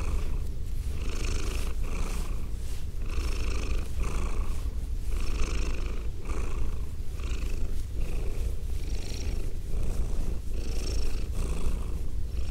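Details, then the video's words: A female pet cat purring into binaural microphones: a constant low vibrating rumble with evenly spaced breathy pulses about once a second, steady and unhurried for the whole stretch. "ASMR Cat Sounds - Soft-Spoken, Purring, Licking, Petting"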